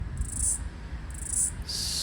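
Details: One or two male Brown Bunyip cicadas (Tamasa tristigma) calling from a tree on 12 March 2023 give high, buzzy bursts of sound in repeated pulses over a low background rumble.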